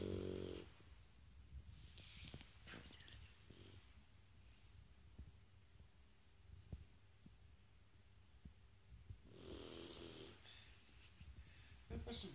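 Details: Snoring from a sleeping Shar Pei indoors: short wheezy, buzzy snores at the opening and near the end, then a longer, louder rasping snore. Long stretches of soft breathing and faint ticks come between them.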